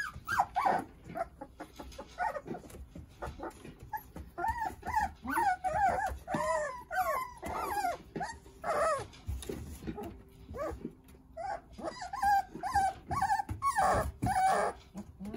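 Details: Litter of nine Jindo puppies at play, watched over by their mother Sarang: long stretch of overlapping high whines and yelps in clustered bursts, pausing briefly then resuming, with handling and scuffling noises.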